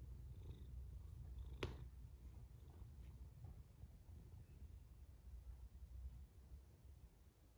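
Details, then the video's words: A domestic cat snoring quietly: a steady low rumble with soft breathing texture throughout, one brief sharp click near the start, otherwise a calm indoor setting. "A snoring cat"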